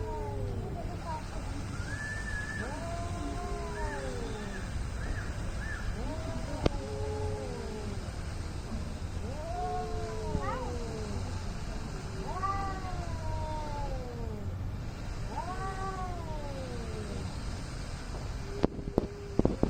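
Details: Angry cats in a fight, yowling in long, wavering, arched wails that rise and fall, several drawn-out howls following one another over steady low background rumble.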